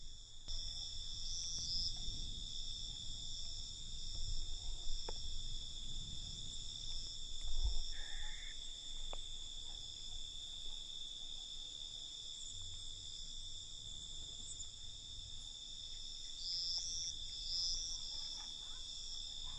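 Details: Crickets at night with an unbroken, high-pitched pulsing trill in stacked bands, a brief mid-pitched squeak around eight seconds and light low background rumble.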